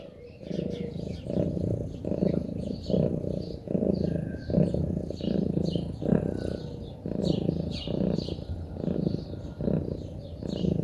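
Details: Relaxed Munchkin cat purring: a low, rumbling purr in steady pulses roughly every second, rising and falling with each breath, while birds chirp and tweet faintly in the background.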